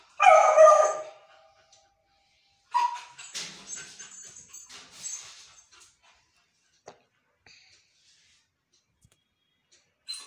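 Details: Beagle puppy, a female, howling because she wants her favourite food: a loud, harmonic wail lasting about a second opens the recording, followed by softer broken whines and scraping noises, then quiet with a few small clicks.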